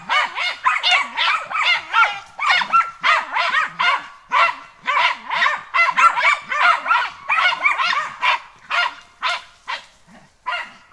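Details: A German Hunting Terrier on a wild boar training day barks rapidly and insistently, sharp high yaps following one another without pause.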